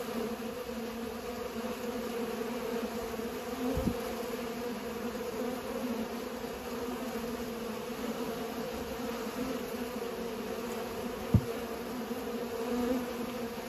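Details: Steady humming of bees while pollinating, a continuous low drone with rising and fading passes, broken by two sharp knocks near four and eleven seconds.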